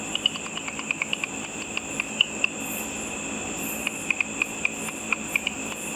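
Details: Bats feeding on insects while flying over a lit pool after dark, picked up through a simple ultrasonic frequency divider detector: dry ticks in loose bursts of several clicks, with gaps of about a second, over a steady hiss and faint tone.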